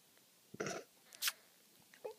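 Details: Four-day-old kitten sneezing indoors: a brief rustling noise, then one sharp, hissy sneeze burst in the middle, with a faint squeak at the end.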